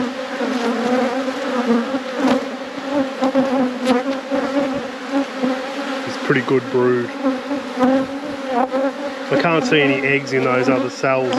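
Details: Honey bee colony buzzing loudly while hives are opened and inspected in a productive apiary. A thick, steady drone continues from start to finish, with brief talking near the middle and again toward the end.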